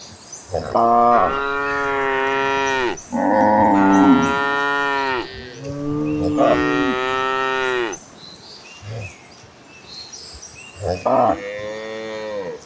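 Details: Cattle in a herd running toward green pastures, mooing in long harmonic-rich calls of two to three seconds each, several overlapping voices repeating about every few seconds, with faint birdsong in the background.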